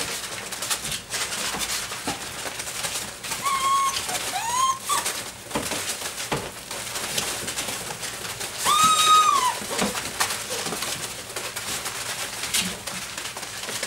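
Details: Dobermann puppies aged six weeks and five days, a group playing with a flirt pole indoors; two drawn-out, arching whines, one near four seconds and one near nine, over steady scrabbling and patter.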